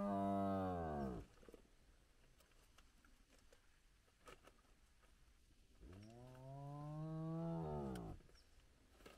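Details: Large clan of spotted hyenas at their den site with very active cubs, recorded at sunrise in the morning. Two long, low, harmonic moans: the first falls away over a second, then after a quiet pause a second swells upward and arches back down.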